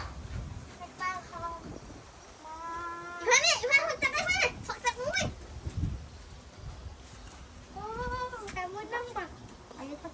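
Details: Many young calves penned together cry out for their absent mothers, a 'ma-ma' sound on a rural cattle farm; several drawn-out, wavering bleats, one arched burst after another in the middle, over people talking nearby.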